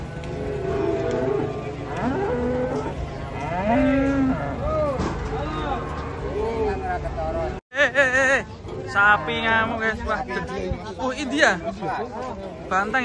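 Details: Giant cattle coming down off a truck, low arched moos rising and falling midway, followed by a brief dropout and then excited, wavering human shouts over a steady hum.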